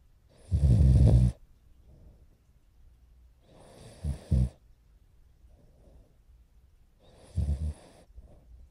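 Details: Morio, a French Bulldog puppy close to four months old, snoring in his sleep on 29 November 2011; three low, grating snores come roughly every three seconds, some broken into double pulses, with soft breaths in between.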